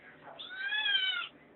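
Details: Felix, a kitten, whines for something from the refrigerator: a single drawn-out meow with clear harmonic bands, rising slightly then holding and fading over about one second, in a quiet room.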